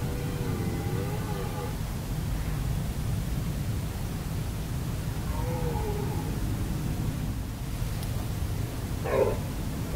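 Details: Red deer stags roaring during the 2017 rutting season at Hoge Veluwe: drawn-out, wavering moaning calls with stacked harmonics, one near the start and a shorter one mid-clip, over steady low rumbling background noise.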